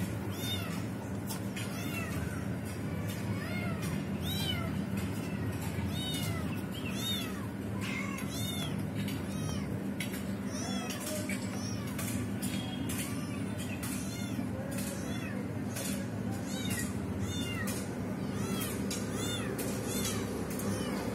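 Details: Mother cat trying to free a trapped kitten that finally finds its own way back; frequent short arched meows, several voices crowding together, over constant low hum and faint music-like background.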